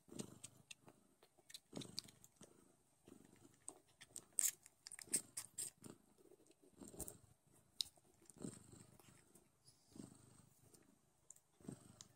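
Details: Nursing Don Sphynx kittens purr in low throbbing pulses repeated roughly every second, each a short rough rumble, with busy clicking suckling and chewing-like smacks layered throughout.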